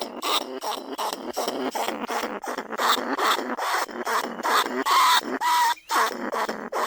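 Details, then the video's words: Lesser bandicoot rat squealing inside a cage trap by rice fields at Na Lao, Nong Khu Phai; continuous rough chattering pulses, about two or three per second, with a short whistled tone and a dip near the end. "ต้นฉบับเสียงต่อหนูพุกใหม่ล่าสุด หนูอีตั้นชุดที่2 ร้องเรียกหนูในกรงเพล็กดักหนู"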